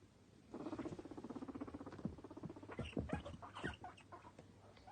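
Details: Pet guinea pigs, two males, playing, popcorning and eating carrot stick snacks; a rapid train of short squeaky chirps repeated steadily for several seconds, followed by louder irregular squeals and rustling.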